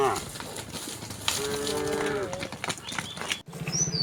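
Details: Cattle, part of a herd of thousands of tame cows and oxen walking leisurely along a rural road toward their resting place; a drawn-out harmonic moo mid-clip among hoof patter and crowd noise, with brief chirps of birds.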